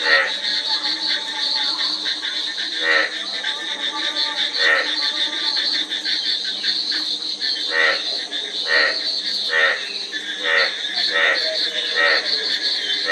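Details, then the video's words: Many frogs calling together, with scattered rattling, pulsed croaks from several callers and a steady shrill buzz running underneath the whole stretch. "Frog Sound--Frog Sound Effect 15 min"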